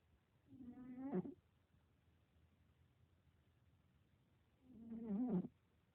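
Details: Cat sleeping curled up in her box, with two short, soft, wheezy snores about four seconds apart and near silence between them.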